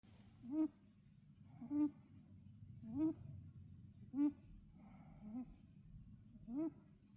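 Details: Sleeping rabbit snoring, each breath giving a short squeaky nasal note with a faint rising tone, repeated about every 1.2 seconds in a quiet room.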